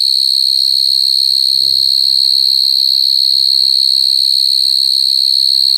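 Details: Crying of coconut crickets, a constant shrill trill held without a break, with low soft pulsing underneath and one brief low sound early on.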